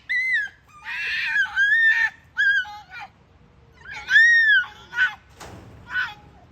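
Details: Ezo red fox mother and young at a fox farm in Kitami, Hokkaido, Japan, giving unusual calls: high, arched, whining squeals and short screechy cries in irregular bursts, with faint background noise.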